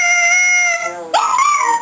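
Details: A 4-year-old male Shih Tzu, at a New Year's Eve party, breaks into a rising, wavering howl over a steady tone from a celebration horn, a sound he had never made before.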